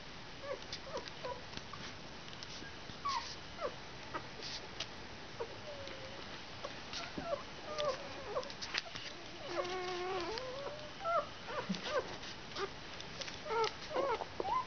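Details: One-week-old puppies whimpering: many thin, wavering whines that rise and fall, some stacked in harmonics, overlapping in irregular bursts over a steady background hiss.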